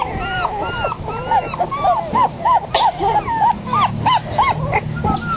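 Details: Five terrier-cross puppies, 3.5 weeks old, on their first day outside, born to a terrier mother and an Australian Shepherd father; high arched whines repeat rapidly, rising then falling, about three per second, with faint talk behind.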